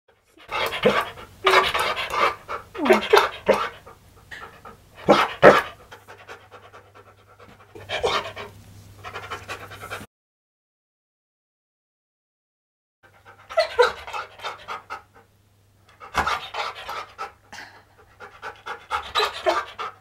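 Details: Pet husky indoors during a treat session with its owner, panting in quick breathy bursts, roughly three per second, over a low steady hum, with a silent gap midway.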